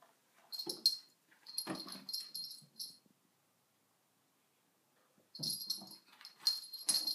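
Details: Sona the dog, at home beside a cushion, produces loud breathy wheezes with high whiny overtones in two bouts, several seconds apart, with silence between them.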